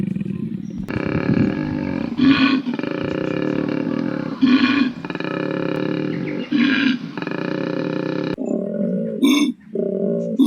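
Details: Wild koala growling in the Australian bush, a loud continuous rasping bellow with strong buzzy tone, broken every second or two by harsher grunting bursts, ending in shorter choppy growls.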